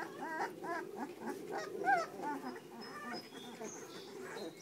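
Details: Puppies whining in short, curved squeals, several in quick succession early on with one clear higher cry near two seconds, then fading into faint background sounds.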